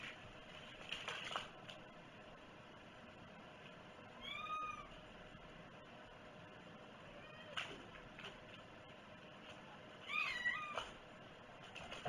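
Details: Domestic cat giving two clear meows, one arching tone near the middle and a wavering, broken one toward the end, separated by quiet stretches of room hiss and a soft knock.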